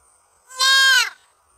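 A deer fawn gives a single nasal, harmonic bleat, calling for its mother.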